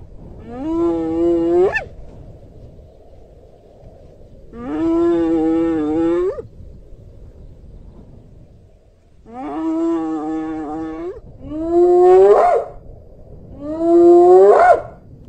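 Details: Hyena. Five long, harmonic hyena calls come in succession, several gliding sharply upward into a whooping finish. Quiet gaps separate them, and the last few follow one another more closely.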